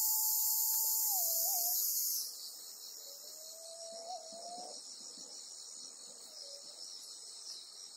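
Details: On Amami Oshima, a Bear cicada (Cryptotympana facialis) caught by a golden-web spider gives a harsh, high buzzing hiss that cuts off abruptly, leaving a softer insect drone.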